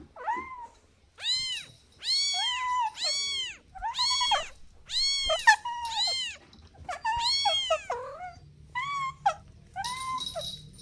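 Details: Kittens playing on grass call in quick runs of arched, high-pitched meows, each rising then falling, often two or three close together, with brief scuffling noise near the end.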